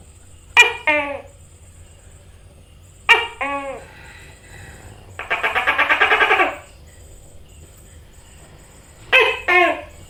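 A tokay gecko gives loud, barking two-part calls and a quick, rattling chuckle in between.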